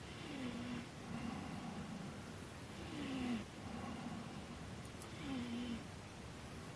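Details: Grizzly bear at Angstman Cabin in Wood Tikchik State Park, Alaska, nosing around a four-wheeler. Short, low, falling moan-like notes repeat roughly every two and a half seconds over a steady background hiss.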